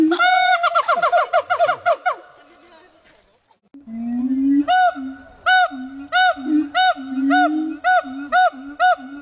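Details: Howling siamang at Dubbo zoo in NSW: a burst of rapid rising whoops fades into quiet, then deep booming notes alternate with loud arched hoots spaced about every half second.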